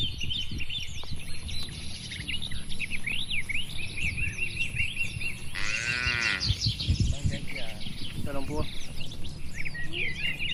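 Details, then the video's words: One of dozens of tame cattle kept in a large farm barn gives a single resonant moo lasting about a second, set against constant bird twittering, a low hum and scattered knocks and movement sounds. "moo bunyi sapi"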